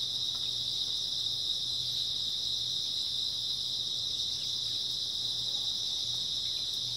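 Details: Many grass insects chirring without pause on an early autumn night, a bright high even drone with a slight pulsing shimmer and a quiet low hum below.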